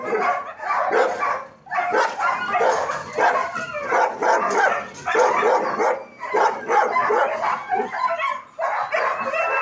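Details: Several German Shepherd dogs bark together at a training academy, a nearly continuous tangle of harsh overlapping barks with short gaps around two and eight seconds.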